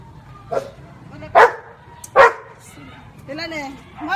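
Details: Labrador Retriever counting by barking to a woman's raised fingers: three short, loud barks about a second apart, then a woman speaking.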